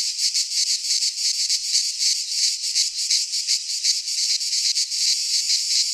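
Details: In a Greek pine forest at midsummer, cicadas sing a continuous metallic rattle-like buzz, high-pitched and pulsing quickly, holding steady loudness across the whole stretch.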